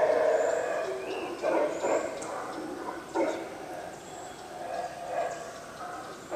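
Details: Howler monkeys at the Yaxchilan ruins in the morning, giving pulsed roaring bursts roughly every second, separated by short dips, with scattered faint bird notes.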